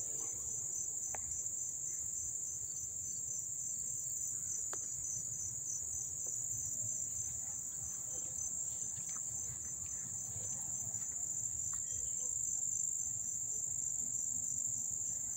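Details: Close-up chorus of crickets in Dobbs Ferry, New York, recorded 1 August 2014; an unbroken shrill buzzing trill dominates, with a few brief clicks and soft background rumble.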